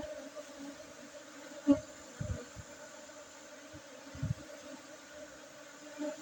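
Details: Honey bees humming during a Monday honey harvest on 5 June 2023 at an apiary in a Gayo Arabica coffee plantation, Bener Meriah, Aceh, Indonesia; a steady low drone with a higher overtone, broken by dull knocks near two and four seconds.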